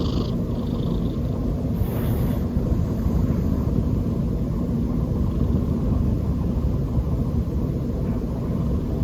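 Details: Snoring of Choco-tan the cat, heard as a dense, continuous low rumbling purr-like drone with no pauses, plus a faint high hiss early on.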